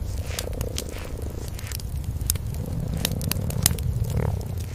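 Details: Cream-coloured kitten and its mother sleeping side by side before a warm fireplace, purring together: a steady low rumble throughout, with sharp crackles and pops from the burning fire scattered over it.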